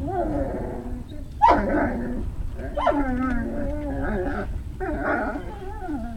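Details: Tonal, wavering whines and yelps from Great Dane puppies at Puppy Hill, 3 May 2019, evening. Several drawn-out cries slide up and down, with one sharp rising yelp near the start, over a rumbly background.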